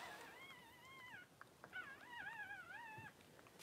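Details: Cavalier King Charles Spaniel whelping, Daisy giving birth to six puppies in two hours; two long, wavering, nasal whines rising and falling in pitch, separated by a brief pause and soft taps, indoors.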